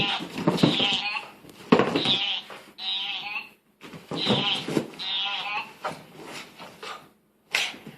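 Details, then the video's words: Pet dog indoors protesting a new sweater it apparently dislikes, making unusual noises: drawn-out, wavering, goat-like whines and groans in several bursts of about a second each, separated by brief pauses, with a faint steady phone-vibration hum beneath. "Funny Dog Makes Weird Noises"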